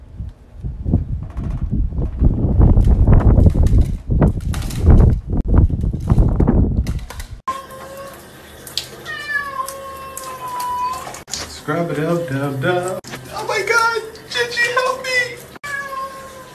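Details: A cat meows several times in the second half: drawn-out, tonal cries, some bending up then down, with quicker short meows near the end. The first half is loud low rumbling and handling noise.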